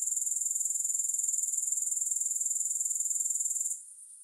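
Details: Rapid pulsed high-pitched buzzing of grasshoppers, evenly rhythmic, cutting off sharply near the end to a quieter hiss.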